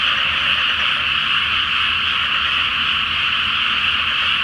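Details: Many frogs calling together at night in a flooded rice field before planting, beneath a full moon; a thick, buzzing blend of croaks forms a constant shimmering din.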